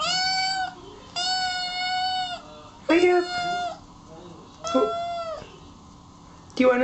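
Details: Kittens meowing indoors: a run of clear, high, sustained mews, some long and level, others short and rising, roughly every one to two seconds, with a faint voice in between.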